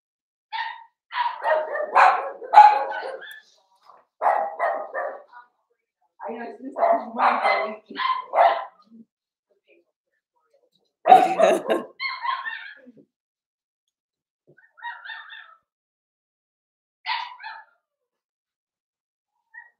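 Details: Cavalier King Charles Spaniel puppies, a Ruby and Blenheim litter born 9 June 2022 (Cooper, Conner, Jenny), overnight on a puppy cam on 27 August: clustered bursts of harmonic barks and yelps, then sparser, softer yelps.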